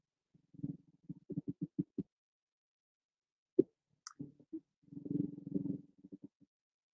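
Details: Haddock making low, hollow knocks, first spaced out, then running together into a fast, rumbling burst; recorded underwater, listeners likened it to a knock on the door or a woodpecker.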